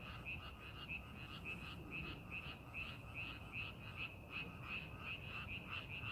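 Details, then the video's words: Frogs in a rice paddy being readied for farming call with quick, short croaks in irregular runs, a few voices overlapping, over a soft low background rumble. "농사준비하는 논에서 개구리 울음소리"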